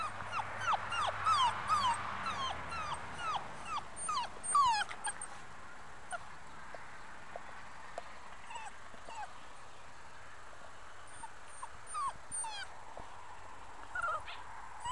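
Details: Five-week-old Muscle Mastiff pup, a future breeding prospect, whimpering in a run of high whines that drop in pitch, loud and frequent for the first five seconds, then softer and sparse with quiet pauses.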